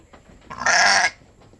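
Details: Domestic goat during milking for a newborn kid, giving a single short, loud, nasal bleat of about half a second against a quiet background.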